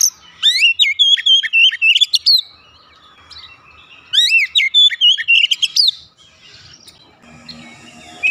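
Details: Home-kept Oriental magpie-robin sings two long bursts of fast, varied whistles and slurred notes, each about two seconds, separated by a near-silent pause.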